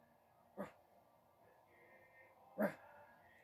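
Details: A female livestock guardian dog on a farm gives two deep, single barks about two seconds apart, answering her owner's prompts while learning to bark on command.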